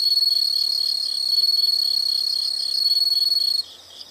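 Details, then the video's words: Insects in a relaxing nature recording, a dense high steady trill with rapid pulsing chirps beneath, loud and continuous before cutting out near the end into quieter chirping. "the sound of insects"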